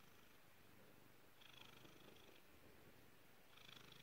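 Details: Soft, continuous purring from Peppa, a black female house cat: a low, even rumble that swells gently twice in a few seconds.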